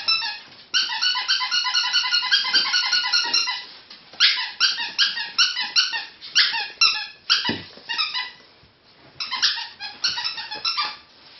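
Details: Three pet ferrets jumping about at playtime indoors: quick bursts of high, harmonic squeaks in rapid runs, a short pause near four seconds, then further squeaky runs with faint scuffling between them.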